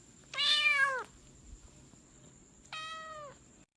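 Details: Cat meowing twice: a loud, drawn-out falling meow lasting about three-quarters of a second, then after a pause a second, softer meow of similar falling shape, with a faint steady high tone in the background.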